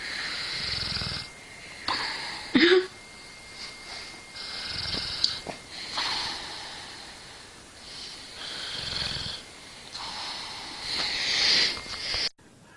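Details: Dog asleep and snoring, slow rasping breaths repeating roughly every four seconds with a fluttering low rattle, a short squeaky snort near the start, steady breathy hiss throughout.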